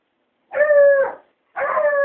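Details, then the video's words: A hound dog howls at a cat, giving two drawn-out, steady howls with a slight waver. "Hound dog howling at the cat...."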